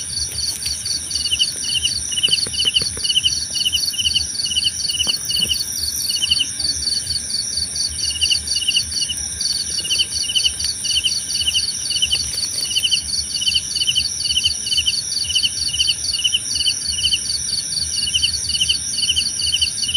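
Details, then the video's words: Continuous cricket chorus for calm listening: rapid rhythmic pulsed chirps at two high pitches, almost unbroken, with a steady thin high drone and a soft low background murmur. "Suara Jangkrik Membahana!"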